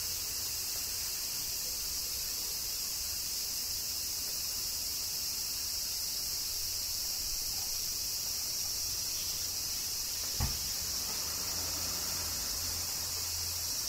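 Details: Cicadas singing in summer rain in Kyoto, Japan: a dense, unbroken high-pitched hiss that holds steady throughout, with a faint low rumble underneath and one brief sharp tap near the end.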